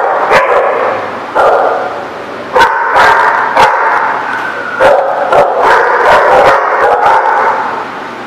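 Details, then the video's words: Dogs barking at a dog lot on 25 November 2017: loud, sharp barks repeated in irregular bursts, several voices overlapping through the whole stretch. "The Barking Lot"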